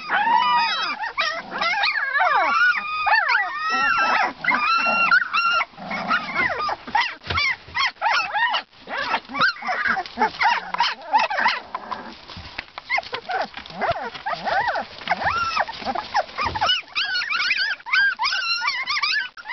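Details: Two-week-old Siberian Husky pups give a constant chorus of high, wavering whimpers and squeals, overlapping and rising and falling in pitch throughout.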